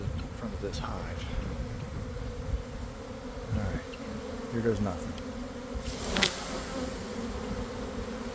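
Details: Honey bee swarm pouring from a garden hive around one in the afternoon after a week of cold, damp weather, heard from inside the swarm: dense, steady low humming drone with brief flyby whines and a faint human voice.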